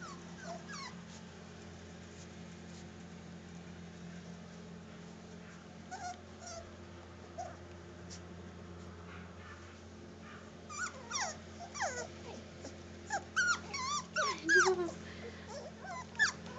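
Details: Black and white parti-colored Bichon Poo dog making high, squeaky whimpers and yips, sparse at first and then in quick clustered bursts during the second half, over a steady low background hum.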